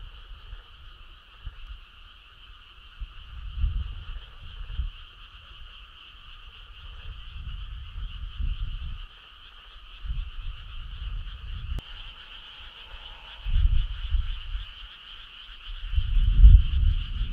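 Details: On a summer night, many frogs call together in a continuous pulsing drone, joined by bursts of low rumble that come and go, with a sharp click around the middle.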